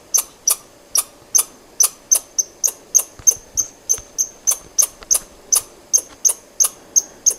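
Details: A squirrel repeats short, sharp, high-pitched chuck notes, each a bright click with a thin ringing tone, about three per second in a quiet setting.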